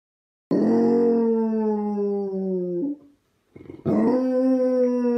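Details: Basset Hound howling: a long, steady, tonal howl holding one pitch for over two seconds, then a brief pause and a second sustained howl starting loud and flat, rich in harmonics, with no other sounds.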